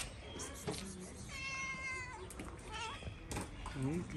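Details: Street cat in Morocco, a tomcat trying to forcefully mate with a calico cat, gives one drawn-out harmonic meow that dips at its end, with a man calling to the cats and outdoor street noise around it.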